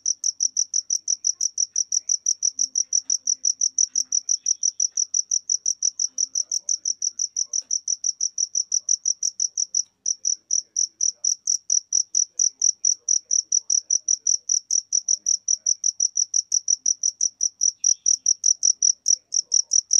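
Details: Long run of bright, rapid cricket chirps in a natural-sounding ambience, steady and even, with a brief break around ten seconds and otherwise nothing else audible.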